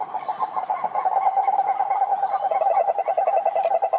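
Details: Cururu toads, Rhinella marina, at a lake in Brazil's Atlantic forest: a short burst of rapid, throaty pulsed trilling, uneven at first, then quicker and denser, with faint higher chirps in the background.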